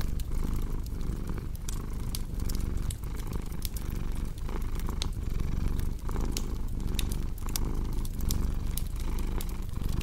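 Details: Domestic cat purring steadily beside a crackling fireplace, a deep continuous rumble pulsing in slow cycles of roughly one per second, with sharp fire crackles and pops scattered throughout.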